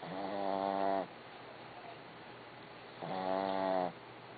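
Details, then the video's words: Barbie the dog snoring, each drawn-out breath carrying a buzzy, tonal rasp, two snores about three seconds apart with near silence between them. "Snoring Dog"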